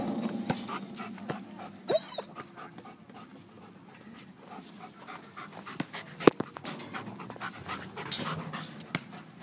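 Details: German Shepherd at agility environmental training in a park among a merry-go-round and picnic tables; soft rhythmic panting under clicks and knocks, a brief squeak near the start, bursts of handling noise.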